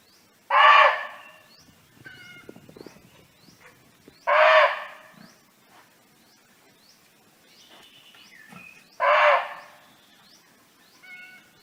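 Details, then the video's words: Barking deer at liberty in nature, calling friends: three gruff, explosive barks roughly four and a half seconds apart, mixed with busy bird chirps, short whistles and light rustling. "เสียงร้องของเก้ง (Sound of Barking Deer)"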